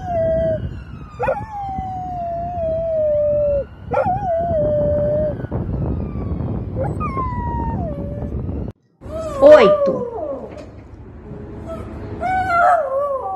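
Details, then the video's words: Domestic dog howling loudly: long, level tones with short falling slides at each start, repeated in several drawn-out cries, then a brief silence and rougher, wavering yelping howls at the end. "Cachorro Uivando Alto - 10 Cachorros Uivando sem Parar [Auuuuu, Uuuuuu]"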